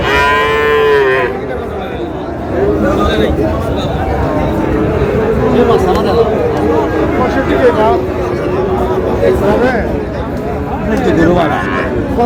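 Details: {'caption': 'Friesian and crossbred bull calves at Raniganj market, Dinajpur, 30 July: one short, rich moo at the start, then the noisy hum of a crowded cattle market with people talking and bargaining.'}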